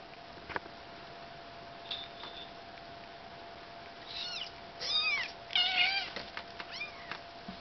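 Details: During a house move, Bengal kittens let out a brief burst of overlapping high meows, several in quick succession with bending pitch, then quiet, with scattered taps and clicks before and after.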